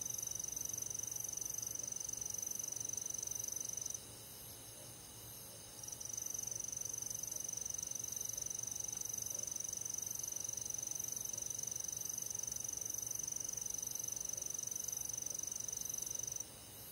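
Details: Summer-night cricket chorus in rural forest: steady, very high chirps at a quick regular rhythm near three per second, overlaid by a sustained thin whine that cuts out briefly around the fourth second and again at the end.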